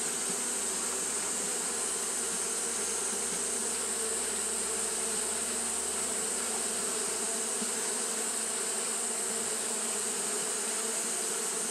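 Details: On a hot day, Japanese honey bees keep up fanning behaviour. Their wings make a continuous droning buzz that never pauses, with a bright, even hiss above it and a faint low rumble in the first half.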